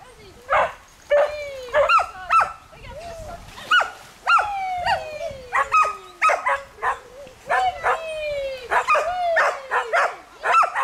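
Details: Swimming Smooth Collies and companion dogs (a border collie and a shih tzu) bark nonstop; clustered barks mix with long, falling whine-like yelps, some overlapping as several dogs call at once.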